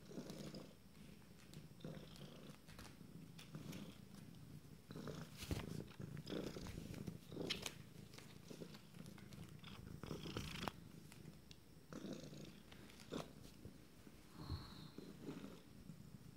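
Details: Purring from 26-day-old kittens of a first litter, a low steady rumble with breathing pulses, broken by scattered clicks and soft handling noises indoors.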